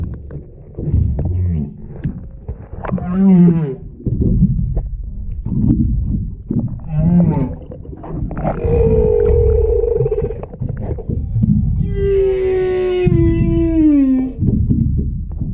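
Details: Humpback whale mother and calf underwater off Wailea, Maui, on 3/2/26, recorded beneath a paddleboard. The calf makes high chirps and the mother gives cow-like moos. Low rumbling moans and short upswept cries lead into long tonal wails, ending with a slow descending call.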